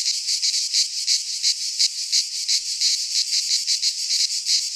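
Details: Cicadas singing in midsummer in a Greek pine forest: a dense, continuous buzzing chorus with rapid pulsing throbs, about three per second, steady throughout with no other sounds.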